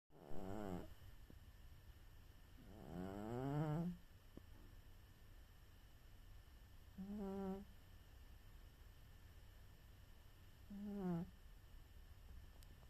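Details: Charo, a pet cat, snores while napping: four low, throaty, rasping breaths spaced about four seconds apart, each a gliding harmonic drone, with quiet gaps and faint room hum between them.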